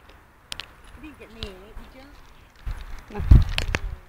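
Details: Willow, an Alaskan malamute puppy under 20 weeks old, urged to talk, answers with soft, wavering, sing-song whines that rise and fall for about a second. Handling noise and footsteps follow.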